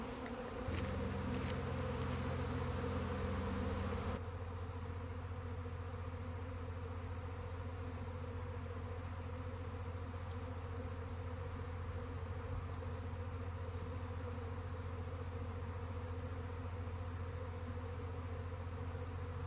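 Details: Honey bee swarm: a dense, steady low droning hum with layered tones that holds evenly throughout, with a brief shift in the background noise early on and faint clicks.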